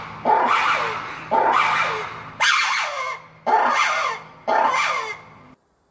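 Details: Lemur vocalizations, used to alert group members to predators, warn competitors away or contact distant members; five loud harsh bark-like calls, each starting abruptly and fading, spaced about one second apart.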